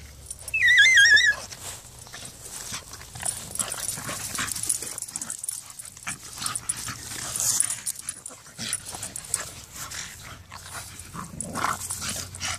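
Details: Dogs fighting, a pit bull against a bulldogge: a loud, wavering high whimper or yelp lasting about a second opens the recording, followed by scuffling, rustling noise and fainter intermittent sounds.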